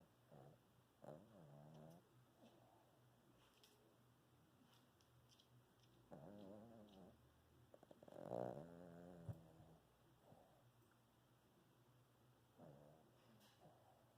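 A Shih Tzu snores in soft, nasal bursts that rise and fall with each breath.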